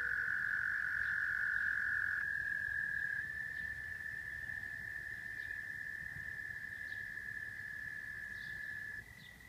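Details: Continuous frog trill from Rochester, New York, dropping in loudness and pitch in steps, with thin high peeps spaced through the chorus and the sound fading at the close.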